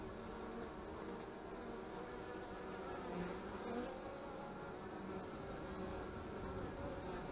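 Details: Honey bees at the hives on 25 March 2015, with a beekeeper attending: a dense, steady humming drone with low warm bands and faint brief brighter buzzes around the middle, no other distinct sounds.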